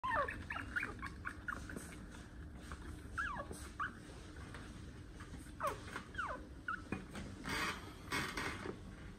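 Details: One-month-old puppy having its long toenails cut, giving a string of short, high, whining yelps that slide downward, some in quick pairs, over a steady low hum with faint clicks and handling noise.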